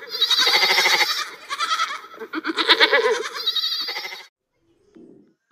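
A goat gives loud, wavering, nasal bleats in quick succession for about four seconds, followed by a brief softer sound.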